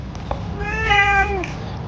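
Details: Young kitten giving one plaintive meow, rising then falling and ending in a downward slur, preceded by a couple of faint clicks, with a low background hum and soft music.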